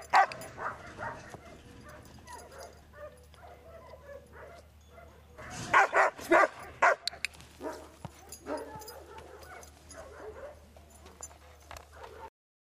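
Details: Pet dog barking repeatedly in irregular bursts over about twelve seconds, with a louder cluster of rapid barks near the middle and softer yips between, over a steady low background hum.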